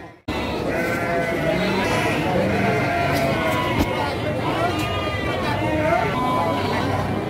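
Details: Female Garut sheep at the busy Andir sheep and goat market, Garut, Priangan, 5/4/2021: a run of shaky, nasal bleats, some bending upward, sound among overlapping talk from traders and buyers.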